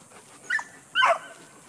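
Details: A 9-month-old male Border Collie working sheep gives two short, sharp yips about half a second apart, with a handler's spoken commands before and after.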